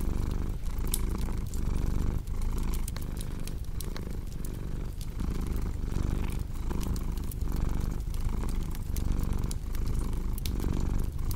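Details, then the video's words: Steady rumbling purr from a cat, rising and falling with each breath less than a second apart, layered with frequent pops and crackles from a fireplace. "Purring Cat with Cozy Crackling Fireplace Sound"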